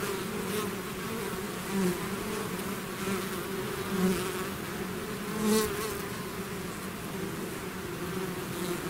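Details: Swarm of bees emerging from a hive, a constant buzzing roar with single bees zipping past near the listener at about two, four and five and a half seconds.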